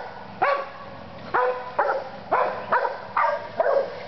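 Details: Seven loud, abrupt barks from a dog, each a short harsh yap with a quick downward tail, coming at uneven intervals of under a second, over a low steady hum.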